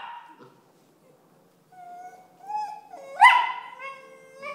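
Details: Six-month-old Tibetan Terriers Alfie and Belle bickering as Alfie complains. A faint whine, near silence, then a thin rising whimper that swells into one loud yelp before fading.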